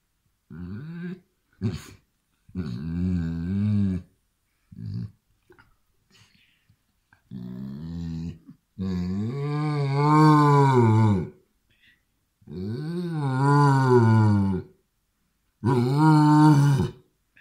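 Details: Indoor Basset Hound answering an attacking hand with long, wavering, throaty growl-moans that rise and fall in pitch, coming in repeated bursts of one to three seconds separated by short pauses.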